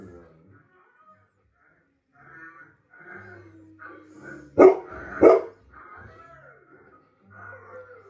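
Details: A Golden Retriever, apparently recognizing a German Shepherd on TV, gives two loud, sharp barks in quick succession over television sound.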